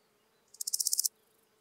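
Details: Chrysochraon dispar, the Large Gold Grasshopper, singing in Hirschau, Germany, 26 July 2019; one brief buzzy chirp made of roughly eight quick scratchy pulses over half a second, building in strength, with otherwise near silence.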